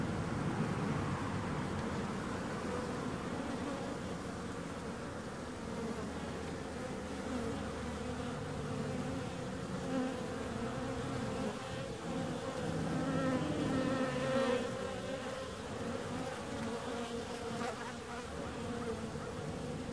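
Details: Bees humming together in a steady, dense drone, low tones layered with brighter bands, a few louder swells near the middle as individual insects pass close.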